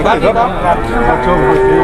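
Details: Short burst from a rampaging Grandong cow getting off a truck: a bellowing moo with a steady, held tone at the end, people's voices faintly behind.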